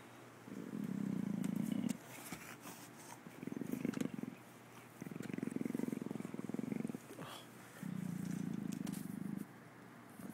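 An Amur leopard purrs in deep, rumbling bursts, each lasting one to two seconds.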